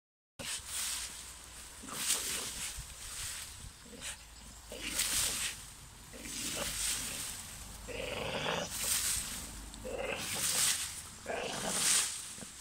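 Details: A Staffordshire Bull Terrier in a garden barks at a tree it dislikes, in harsh, broadband bursts repeated at an uneven pace.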